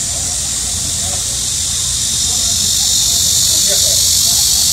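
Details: Midsummer cicadas during a heat wave sing in a continuous, piercing, high hiss that swells gradually louder, with soft distant voices faintly audible below.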